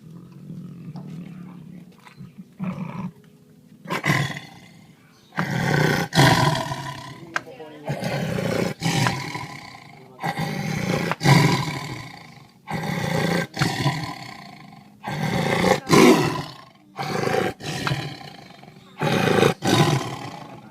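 A lion gives a series of deep, rough roars, each about two seconds apart, with people talking nearby.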